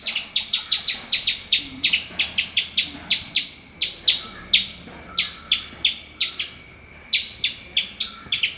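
A squirrel gives sharp, high chirps in a quick, steady series, about three each second.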